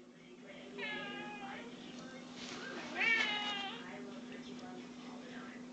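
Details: A pet cat wanting attention utters a wavering, drawn-out meow, then a shorter louder one about two seconds later, over a steady low electrical hum in a quiet room.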